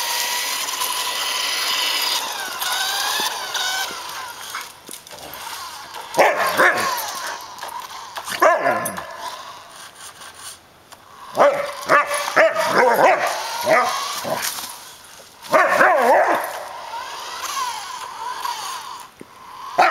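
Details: Samoyed chasing a remote-controlled car for exercise; scattered yelps and short barking bursts over a loud buzzing motor hiss, dog calls clustering in the middle and later stretches.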